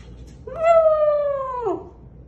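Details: A Samoyed puppy gives a single drawn-out howl, a clear tone that slides slowly downward before breaking off.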